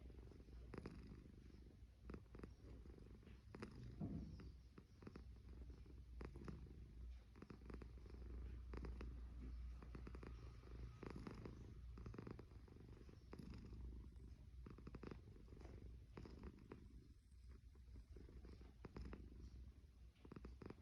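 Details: A cat asleep and snoring, deep buzzing rumble running steadily for twenty seconds with gentle rises and falls of each breath, faint crackles, nothing else prominent.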